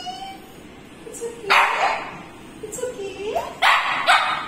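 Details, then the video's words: Possessive pet Shih Tzu Leo, behaving jealously, lets out short, harsh yipping barks in three bursts after a thin whine, with a person's voice nearby. "My dog gets possessive# Jealous Dog"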